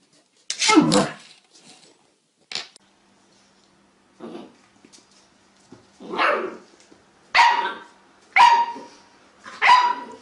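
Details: Pet dog barking at a lemon, a few sharp broadband barks spaced irregularly over ten seconds, with a bright tonal core near the middle of each bark and short quiet gaps between them.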